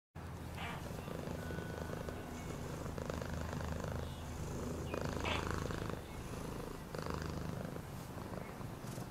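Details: Domestic cat purring steadily, a low continuous rumble with fast rhythmic pulsing throughout, broken by a few soft rustles and clicks.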